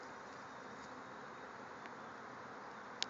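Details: Thousands of bees swarming out of a backyard hive and flying all around: a dense, steady, unbroken buzzing hum spread across a wide band, with a single sharp click just before the end.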